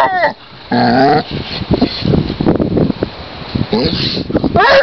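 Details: Csipke (Lace), a basset hound, rolling about happily on a lakeside in spring, gives short wailing yelps: a brief bending cry at the start, a sustained flat-toned wail near one second, more yodelling cries toward the end, over rustling and handling noise.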